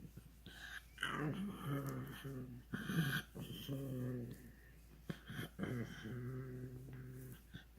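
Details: Ronja the pug making funny noises: drawn-out, voiced growly grumbles with a whining edge, each lasting about a second, repeated several times with short breathy pauses, indoors.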